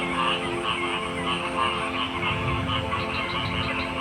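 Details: Many frogs croak at once in a thick, rhythmic chorus of short pulsed notes, accompanied by a continuous drone and low-frequency rumble.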